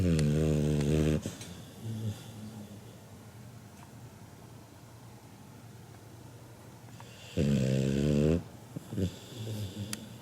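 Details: Kinako, a seven-month-old Labrador Retriever puppy, snores as loudly as a human, like a middle-aged man: two deep, rasping, harmonic snores about six seconds apart, each lasting about a second, with faint shuffling between them indoors.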